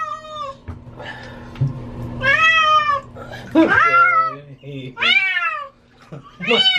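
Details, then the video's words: Domestic cat, female, distressed during a bath; repeated loud harmonic meows, some wavering and broken, mixed with splashing-like noises and a low background hum. "Cat sounds like she is saying Help Me"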